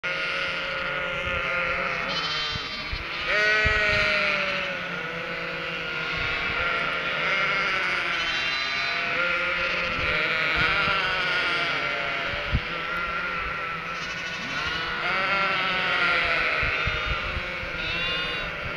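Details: Cotswold sheep flock with three-week-old lambs, calling out in expectation of the farmer bringing food; dense overlapping bleats, wavering and harmonic-rich, from many animals at once, with low thumps and rustling beneath.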